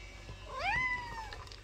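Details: Domestic cat, one of two pets (a tabby male and a tuxedo female) about to compete for treats: a single rising-then-falling meow lasting under a second, over soft music.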